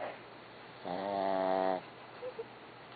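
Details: A single buzzy, droning snore from Barbie the dog lasting about a second, followed by two faint short squeaks and quiet room tone.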